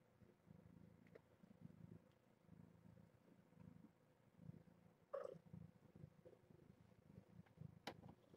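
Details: Purring from a litter of seven young kittens born June 21 to a rescued stray mother at Purrfect Pals, recorded at morning breakfast during formula feeding: a steady low rumbling purr in rhythmic pulses, with a brief clatter midway and a sharp click near the end.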